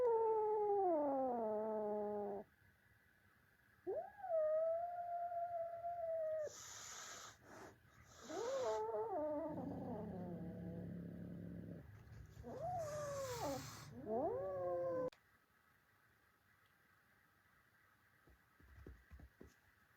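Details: Kitten fighting with its adult cat brothers: long wavering yowls sliding down then rising, interrupted by sharp broadband hissing spits around the middle and again later, before the scuffle goes quiet for the last few seconds.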